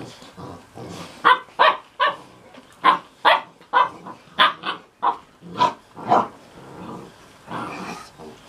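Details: Mastiff puppies in a litter, six and a half weeks old, giving a series of short yelping barks and whines about every half second, mid-pitched and rough, with brief gaps between calls.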